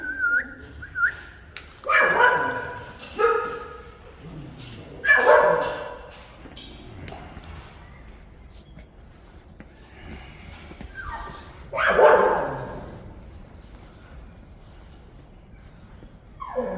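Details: Lively Jindo puppies with black, fawn, grey and black-and-tan coats. Scattered short barks and yips come in irregular bursts, several seconds apart, with quieter stretches and a faint high whine in between.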